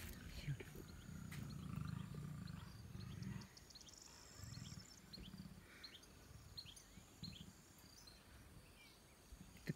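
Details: At Taigan Safari Park, Crimea, lions (two males and a female) watch the sun go down from a slope. Long, deep rumbling groans fill the first few seconds, then fainter low grunts follow, alongside human voices.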